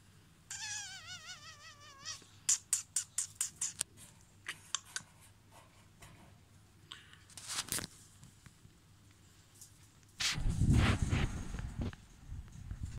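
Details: Siberian weasel in a behind-the-scenes enclosure at a fauna park in Flakkee, Netherlands, giving a wavering high trill, then a rapid series of sharp clicking chatters, followed by rustling and loud handling noise.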